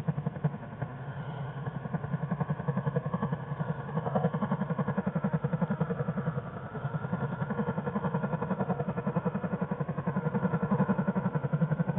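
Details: A steady low mechanical hum with a rapid regular pulsing throttle, like an idling engine, fills the whole stretch; no animal voice stands out.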